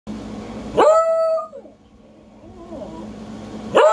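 A beagle lets out a loud, sustained howl that starts abruptly and then slides downward.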